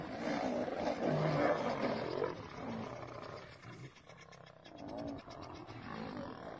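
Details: Lions fighting, a female attacking and biting a male: rough, harsh snarling roars, loudest in the first two seconds, then quieter broken growls with short pauses.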